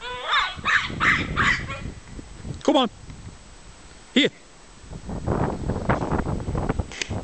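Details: One-year-old Jack Russell Terrier attacking a badger he hates, from a scaffold: quick run of sharp barks, then two louder, strained yelping barks.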